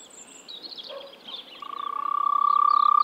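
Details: Frog calling in spring in the Czech Republic: after faint bird chirps, a loud, fast-pulsed, steady mid-pitched trill starts halfway through and swells to the end.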